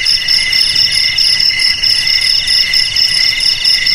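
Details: Cricket chirping offered as a rat repellent for homes, garages, warehouses and rice fields: a shrill, steady high trill with stacked bands, pulsing in rapid beats, with no other sounds.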